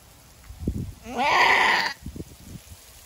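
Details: Female goat giving birth for the first time, having a hard labour with a single kid. She lets out one loud, strained, harsh scream lasting under a second, amid footsteps and rustling in the pen.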